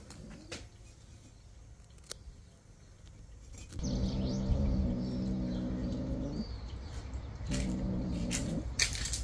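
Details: Street cat hums while being fed on a terrace in Morocco, caught on a security camera. After quiet, a low steady droning hum with stacked overtones runs about two and a half seconds, pauses, then returns briefly. Faint chirps sound above.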